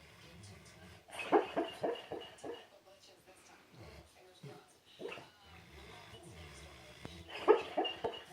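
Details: Sleeping pet dog hiccuping and snoring while dreaming: a quick run of short, sharp vocal bursts about every quarter second, a softer stretch with faint breathy sounds, then another loud clustered burst near the end.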